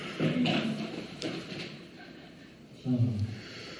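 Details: Amur tiger Kirill, aged 11 years 8 months, recorded 23 February 2021: two short, low, rough voiced bursts about two and a half seconds apart, with a reverberant indoor feel between them.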